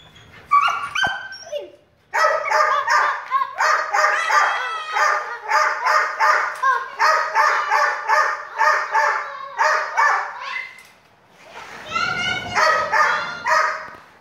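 A dog barks in a fast, steady run of ringing, fairly high-pitched yaps.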